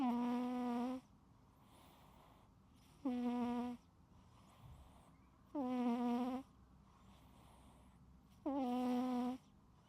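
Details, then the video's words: Sleeping pet cat snoring loudly: nasal, tonal breaths about a second long, each with a steady humming pitch, repeating roughly every two and a half seconds with quiet gaps between. "My Cat Snoring LOUDLY"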